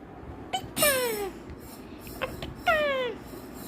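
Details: Pet cat called Baghini, playing with a lace and said to have become angry, gives two drawn-out falling meows about two seconds apart, with short softer squeaks between them and quiet indoor room noise.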